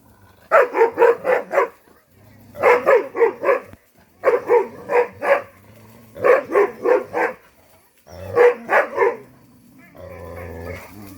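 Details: A tied Pungsan dog reacts to being approached or attacked in a hunting and chase setting, barking in rapid bursts of four or five about every two seconds, with a muffled rumbling at the end.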